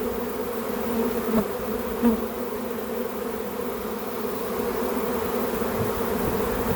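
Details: Steady drone of a honey bee swarm spotted in a back yard and being gathered into a hive; the even hum holds throughout, with two soft bumps near the start.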